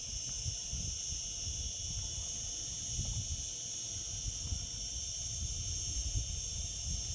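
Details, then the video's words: High, droning cicada song in summer, continuous and level, accompanied by frequent low rumbling and knocking sounds. "Cicada sounds, cicadas singing in summer."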